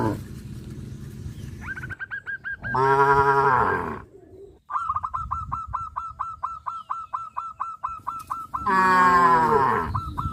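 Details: Tame cows crowding around open fields, running and jumping for joy; two long, low, drawn-out moos rise and fall about five seconds apart, while a rapid, evenly repeated high chirping runs steadily between them.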